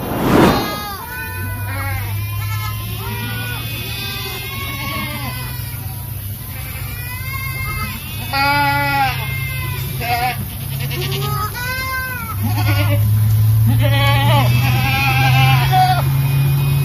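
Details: Boer goats with their kids; many wavering, nasal bleats of varied pitch, some high and drawn out and others lower and shorter, overlapping from several animals, over a steady low hum.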